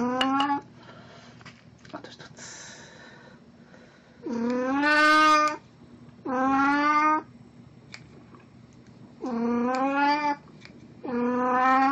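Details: Pet cat named Puran, dressed in a Snow White costume for an encore after a birthday party, recorded April 1, 2017. Five loud, drawn-out harmonic meows, each rising then sagging, separated by short quiet gaps with faint background noise.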